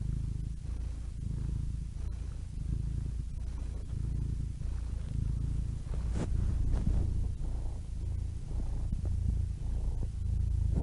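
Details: A cat's purr runs throughout, deep and rumbling with a regular rapid throb, swelling slightly in the second half; one brief sharp click near the six-second mark, otherwise only the low vibrating drone.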